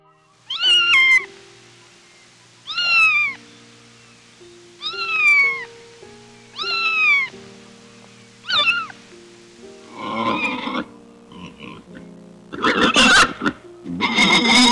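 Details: Kitten meowing, from a cute animal compilation: clear, high, arched mews repeated about every two seconds, six in a row, followed by harsher noisy bursts, all over soft background music.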